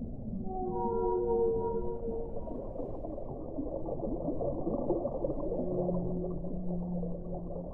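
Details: Whale song with stacked sustained tonal moans at the start, then a long low steady note later, all over a continuous underwater rumble.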